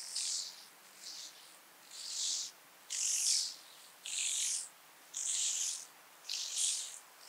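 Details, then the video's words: Speckled buzzing grasshopper at Vorderriss, Germany, on 11 August 2022: high, hissing, buzzy bursts of about half a second, seven in sequence, repeated roughly once a second over a quiet background. "Bryodemella tuberculata -- Gefleckte Schnarrschrecke -- Speckled Buzzing Grasshopper"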